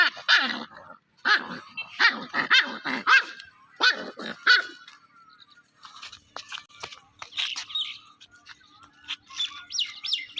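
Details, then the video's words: A playing puppy gives a quick run of high, harmonic yelps and yaps over the first five seconds, then quieter squeaky sounds and faint music follow. "Baby dog playing | Dog baby sound"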